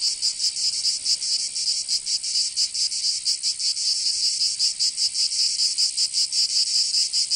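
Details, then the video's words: Cicadas in summer in Provence, southern France, produce a bright, piercing buzz with irregular, overlapping pulses suggesting several singers at once; no other sounds stand out. "Canto Cigarra 🦗 [ Escuchar les cigarras en verano 10 H]"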